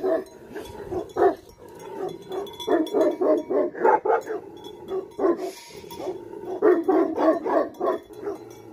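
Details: Bhote Kukur, or Tibetan Mastiff, guarding livestock in Nepal, barking almost without pause in rapid, uneven runs, about three or four barks a second, each bark resonant and full, over a soft metallic chime of bells.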